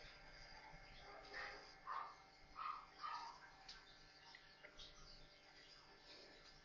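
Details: Four newborn Maltese puppies playing together, giving a short run of high, thin squeaks and whimpers, about four in quick succession near the middle, over a soft indoor hiss.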